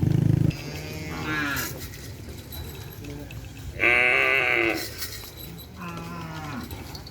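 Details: Racing cattle of Hajar Boss training in a new formation ahead of the Presidential Cup kerapan sapi bull race; three short harmonic moos with a rising then falling tone, amid steady low crowd and engine rumble and scattered voices.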